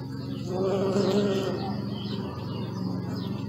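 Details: A bee flies close by, its buzz rising and falling in pitch as it passes. A steady low hum of more bees continues beneath, with faint chirping in the background.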